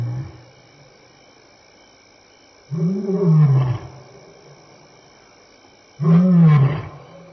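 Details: Lion roaring at Elephant Plains Game Lodge, South Africa, on an evening of 26 May 2011, 6-7 PM, while walking by and contact calling; two loud, deep, hoarse grunts about three seconds apart, each swelling then fading.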